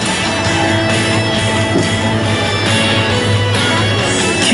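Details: Loud rock music with distorted electric guitar and a steady beat fills the whole stretch, with no animal sound heard.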